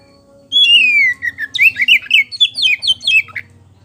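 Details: Lure song of a kacer poci, or Oriental magpie-robin: a long drawn-out descending whistle opens, followed by a quick series of about ten varied chirping and whistled notes, bright and loud, with a faint low hum beneath.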